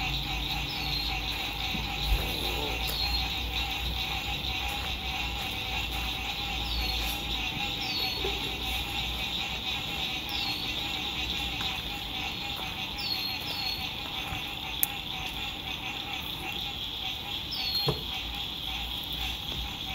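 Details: Spring 2021 sunset frog chorus beside a lake at an RV camp: a continuous shimmering high buzz with brief downward-sliding chirps at irregular intervals, traffic hum underneath and a few sharp knocks.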